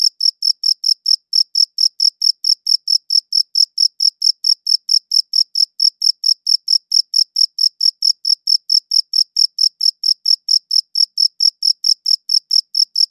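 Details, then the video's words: Crisp high chirps from a cricket, recorded with a good audio recorder, come in a fast regular series of about four pulses each second with a faint upper overtone, pausing briefly near the start, otherwise uninterrupted and free of background noise. "Cricket Chirping Sounds"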